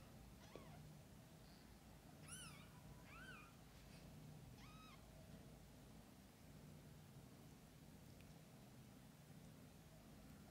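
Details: Mother cat and kittens between birth and eye-opening: a quick series of short arched meows between half a second and five seconds, then quiet low hum for the rest.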